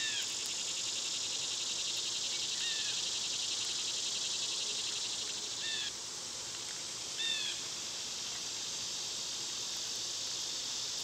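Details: Loud summer cicadas drone without pause in a high, sizzling wash, and a few scattered bird notes, quick falling chirps and a double call, cut in now and then.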